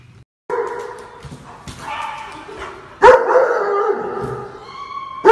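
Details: Two drawn-out, nasal whining calls from a husky, each about a second long, the second louder and starting abruptly, with quiet room noise in between and a sharp knock at the end.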